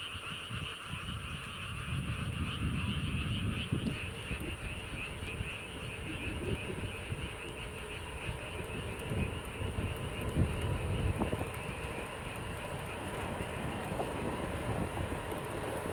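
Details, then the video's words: Frogs calling near King Sejong's royal tomb, a UNESCO-listed site, heard on a commute home: rapid repeated croaking pulses, several per second, under a steady low rumble of passing vehicles. "개굴개굴 개구리"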